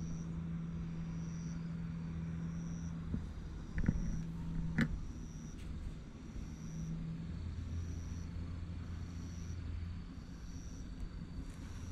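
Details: A low, steady car-engine rumble and hum fill the recording, with a faint high beep repeating about every second and a couple of sharp knocks, and no animal voice.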